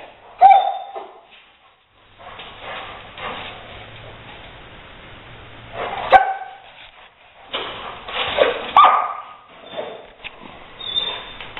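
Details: Rottweiler Leo pursuing a gray squirrel indoors before driving it out an open window; sparse sharp whimpers and squeaky yelps separated by rustling, thumping movement and quieter gaps.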